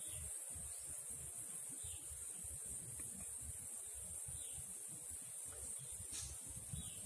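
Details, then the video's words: An Indian cicada (Huechys incarnata testacea) holds a steady, very high-pitched shrill without a break. "Indian Cicada shrilling sound (Huechys incarnata testacea)"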